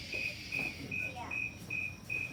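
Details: A snowy tree cricket gives clear, pure-toned chirps repeated steadily about twice a second; its chirp rate rises with warmer temperature.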